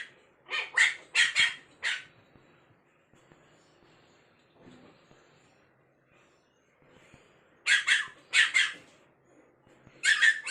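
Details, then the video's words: Stranded on a stool or sofa, an angry snow-white spitz puppy barks in bursts: four high yaps, a long quiet pause with faint shuffling, then three more and a final yap. "Puppy angry when put on a height"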